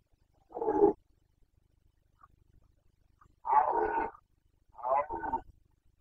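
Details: Carpathian red deer stag in the 2021 breeding season in Bucovina, roaring (boncănit) during the rut: three rough, hoarse bellows, each under a second long, separated by short silences.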